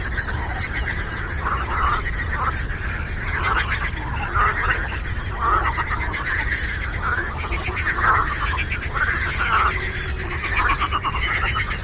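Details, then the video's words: A lakeside frog chorus: numerous croaking frogs overlapping in a thick, buzzing, pulsed drone that swells slightly every second or two, over constant low background rumble. "Frog Croaking"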